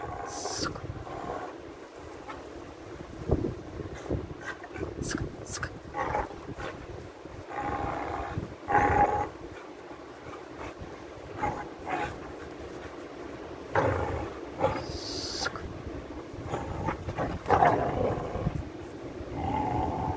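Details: Caesar, a pit bull pup, growls during play while pulling on a leather glove: low rough rumbling growls in bursts, with snarling peaks and a human voice at times.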